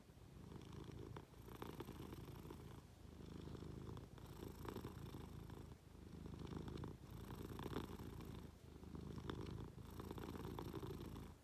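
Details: Munchkin cat purring while cuddling up to its owner in bed; a low, continuous rumble pulses in breath-length waves roughly every one and a half seconds, with light fabric rustling between.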